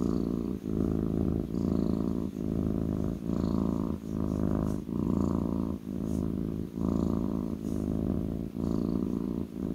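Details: Close, steady purring from a kitten settled on a lap, low vibrating rumble broken into regular in-and-out breath cycles under a second apart, with light clicks of movement.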